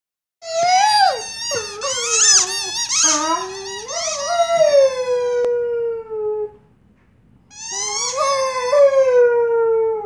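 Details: Lola, a 6-month-old female Weimaraner puppy, sings along with her toy in the morning: wavering, sliding howls that rise and fall, then settle into a long held tone.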